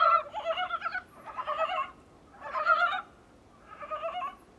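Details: Dybowski's brown frog calling, heard from a small room's window: four separate bouts of rapid, pulsed, grating croaks, each about a second long, spaced by short silences.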